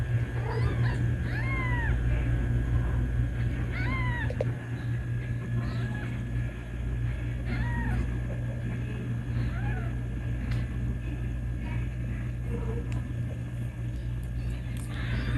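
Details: Kitten calling loudly for its mother, who came back for it: clear, bent meows repeated every two to three seconds, strongest early and fading later, over a constant low droning hum.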